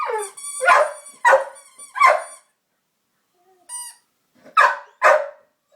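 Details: A female pet dog, playing with a squeaker torn from a toy while people tease her, gives short wavering whiny howls in bursts, with a thin high squeaker tone between them.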